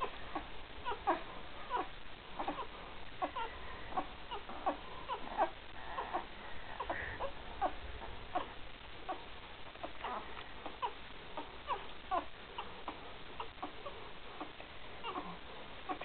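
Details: Newborn Great Dane pups, three days old, from Gracie and Newman's 2012 litter, keep up a steady stream of thin, squealing cries, roughly one every second, uneven in rhythm, with a low room hiss behind.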